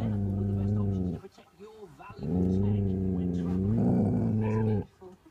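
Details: From inside a caravan, pet dog Laksa growls at a deer, never having seen one before. Two sustained, low, throaty growls with a brief wavering break between them, ending in silence.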